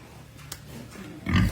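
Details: Pietrain and Large White gilts, young breeding sows bought from a hog farm, with one short, deep, low grunt near the end after a quiet stretch of faint shuffling.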